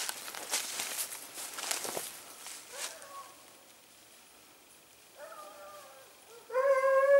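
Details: Segugio Italiano hounds, short- and wire-haired, on a hare hunt at Sofiko, Evros, Greece, 18 October 2015; rustling and steps in the vegetation give way to a few drawn-out, harmonic baying yelps, the last one loud and close.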